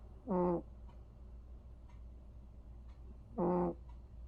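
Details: Two droning snores from Vere, a cat asleep, each a brief low rasping tone rich in overtones, spaced a little over three seconds apart with faint room background.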